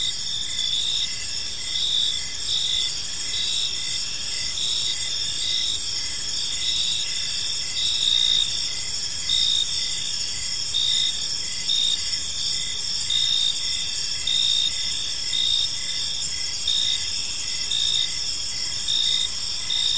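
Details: Crickets calling through an evening in a peaceful park, a dense high, even trill of overlapping insects, pulsed notes repeating rapidly in one band while others ring steadily, with soft low environmental noise.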